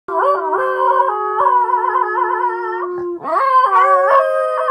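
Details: Luna, a Miniature Pinscher dog, howls in excitement before going for a walk. A long, wavering, tremulous howl lasts about three seconds, then a second howl swoops upward and holds high, in a quiet room.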